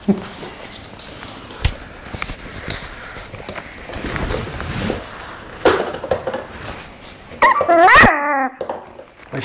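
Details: Tibetan Terrier at play: a stretch of soft rustling and faint human voices gives way near the end to a short burst of high, harmonic yelping barks that rise and fall, then quiet.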